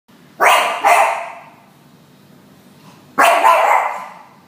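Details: A male dog gives a quick double bark, then a single bark about two seconds later, each sharp and harsh, barking loudly at four new hens just brought home; the background is otherwise quiet.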